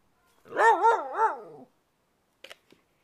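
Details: Whippet saying 'roo roo' because it wants to play: one loud wavering howl-whine of about a second, warbling up and down three times, then silence with two faint clicks.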